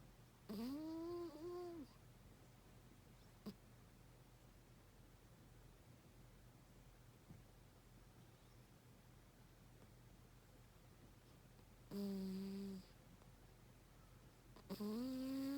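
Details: Pet cat Baby Kitty sleeping deeply and snoring indoors: three drawn-out, tonal, humming snores of about a second each with a slight upward bend, separated by long quiet gaps in a small room.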